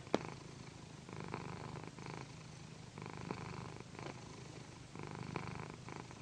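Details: Loud, mellow purring from Pandy, a female cat, being massaged on a satin pillow. The low rumble rises in bursts with each breath, roughly every second, with a sharp tap near the start and soft satin rustling.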